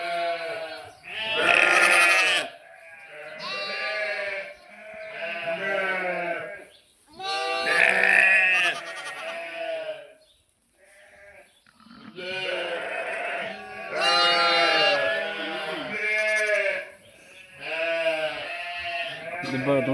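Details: Sheep and lambs bleat repeatedly, with long, wavering, nasal baa calls overlapping from several animals, recorded 11/5/2026.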